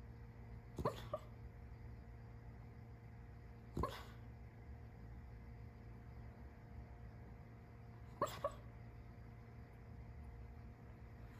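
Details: A female dog napping on a sofa, dreaming and shaking gently, gives three soft, muffled woofs spaced several seconds apart over a low steady indoor hum.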